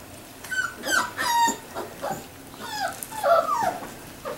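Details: Three-week-old Labrador Retriever puppies make thin high whimpers and squeals, overlapping and uneven, in a small indoor space.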